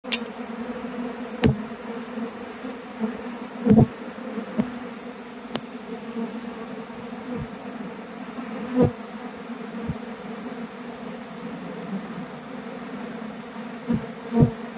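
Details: Honey bee swarm taking flight from a nearby tree and heading back to the hive box of a recent removal: steady low droning hum of many wings, with louder buzzes of single bees passing close every second or two.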